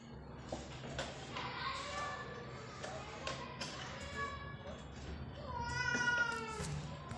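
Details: Pet cat meowing because it wants to go down, recorded 17 January 2024 at 5:59 pm; a run of harmonic, drawn-out meows rising and falling, the loudest and longest near the end, over low household hum and faint voices.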